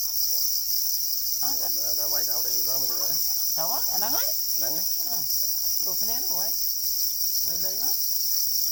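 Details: Black crickets, also called para crickets, calling angrily over their eggs; a continuous, very high, steady shrill buzz runs throughout, while a person speaks over it in bursts.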